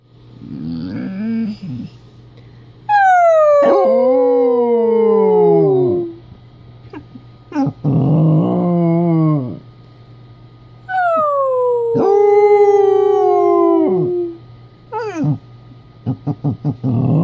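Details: A 3-year-old female Basset Hound howls in conversation with her owner: long, wavering howls that start high and slide downward, with grumbling yips between.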